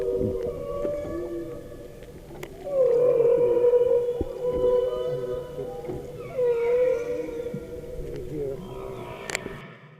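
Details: Humpback whales recorded right under a boat off South Maui, Hawaii, 24 January 2013: long wavering tonal moans with stacked harmonics, swelling loud twice, with faint overlapping lower calls and a sharp tap near the end.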